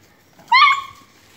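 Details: One short, high yelp from one of the sausage dogs Gaby and Pam in the garden of Phuket Dog Resort. It rises briefly, holds a moment and fades against a quiet outdoor background.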